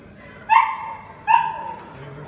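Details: Samoyed dog at Chișinău airport giving two loud, clear barks about a second apart, each a bright harmonic yelp that trails off, over low indoor hubbub.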